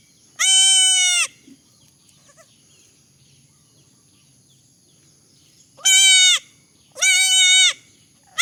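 Young goats give loud, nasal bleats, each about half a second to a second long, with quiet pauses between.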